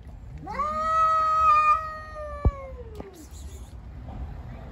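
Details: Cats in a street fight; a tense, rising howl swells into a sustained harmonic wail of nearly three seconds, then slides down and fades, with a sharp knock partway through and quiet ambient noise.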